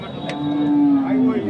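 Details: Sahiwal bull offered for farm use at Khochabari cattle market in Thakurgaon on Wednesday 10 July 2024, amid buying and selling; a single steady, low droning moo lasting about one and a half seconds, faint market noise behind.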